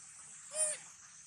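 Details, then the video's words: Baby monkey named Sweetpea, hungry and searching for its mother while eating watermelon, gives one short, steady, harmonic-rich cry lasting under half a second over constant background hiss. "Original sound monkey Sweetpea! Poor SP make sound so sad looking for mom-SP hungry"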